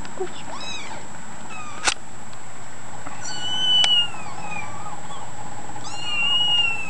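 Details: Kittens mewing indoors: high, thin harmonic cries, some rising then falling, at about three and four seconds and again near six to seven seconds, over a steady background hum with a sharp click near two seconds.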